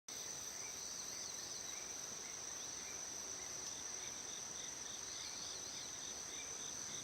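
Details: Crickets singing in Shikokuchuo, Japan, around 6:47 in the morning on 25 August: a steady, thin, high ringing tone runs throughout, with softer, uneven trilled pulses beneath it.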